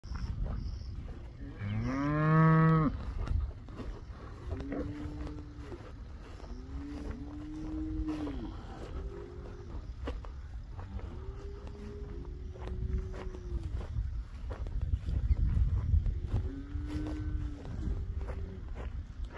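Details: First-calf cows with their calves on a farm, one loud harmonic moo near the start followed by several softer, lower moos spaced through the clip over steady low rumbling background noise.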